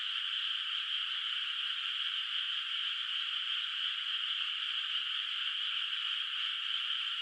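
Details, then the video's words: A distant frog chorus on a moonlit night over an unplanted countryside rice paddy: countless overlapping croaks merge into one continuous shimmering drone that holds even and unbroken, with nothing else audible. "月明かりの田んぼで響くカエルの声 懐かしい田舎の自然音BGM Frog Sounds in a Moonlit Nostalgic Countryside Night Ambience"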